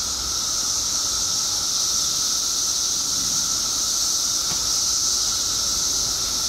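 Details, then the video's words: Mass emergence of periodical cicadas in Illinois after 17 years below ground; a constant shrill wall of sound with a steady lower hum, with no pauses and a faint click near the end. "Cicadas Making Noise"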